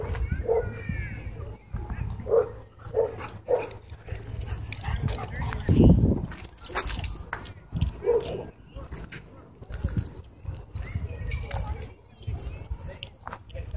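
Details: Fight at a dog park, where a small white dog bites a German Shepherd: clusters of short, punchy barks, a loud scuffling burst midway, and human voices mixed in.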